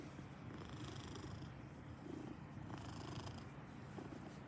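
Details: Maine Coon cat purring steadily and softly in a quiet room, a continuous low rumbling purr with faint breathy rises every second or so.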